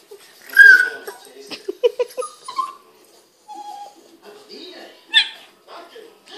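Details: A playing Boston Terrier, together with a Pug, gives strange noises: a sharp squeaky yelp, then a run of short grunting whimpers and a few falling whines, with a person speaking in between.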